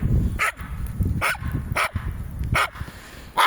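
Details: Jack Russell Terrier, one of two named Treisy and Azzuro, outdoors: five sharp, short barks at uneven gaps over three and a half seconds, with rustling and footstep noise and Latvian speech between them.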